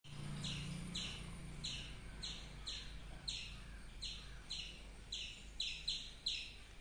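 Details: Squirrel chirping: sharp, high, downward-slurred chirps repeated roughly every half second, about eleven in a row, over a low steady background hum.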